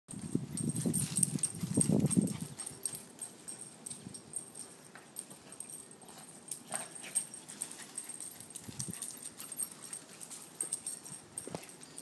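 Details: Two small pet dogs, a Boston Terrier and a Chiweenie (rescue Chihuahua-dachshund mix with a crooked foot), play fighting; low rumbling growls fill the first two and a half seconds, then soft scuffling and light clicking movement sounds continue quietly.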